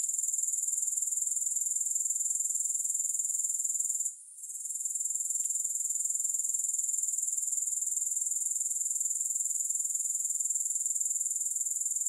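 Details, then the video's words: Continuous sizzling trill of grasshoppers with no music, very high and evenly pulsed, pausing briefly early on and otherwise steady to the end. "Grass Hopper Sounds"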